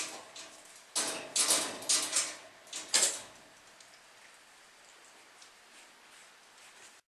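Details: A few sharp clattering knocks, like a sliding door or drawer, rise in a short burst in a quiet indoor room, then fade into faint hiss; no animal voices are heard.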